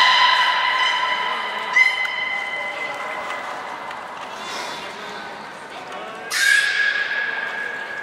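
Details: Captive belugas during a training session at Port of Nagoya Public Aquarium, 1 December 2019, with Hodoi, Gray and Mirai named; steady harmonic whistle-like tones held for several seconds, then a sudden bright burst leading into another sustained tone.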